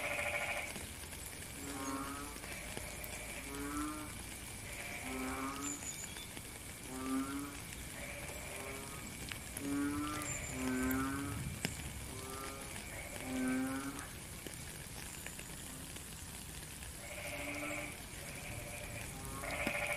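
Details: Frogs calling in the rain in nature: a steady run of short, low, buzzy bleating croaks repeated roughly every second or two, some overlapping, under constant heavy rain hiss with occasional drips.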